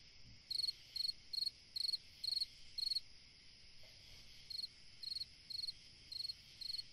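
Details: A cricket sings on a summer night: high, pure trilled chirps in short bursts, about two per second, pausing briefly midway before resuming, over a faint steady background hiss.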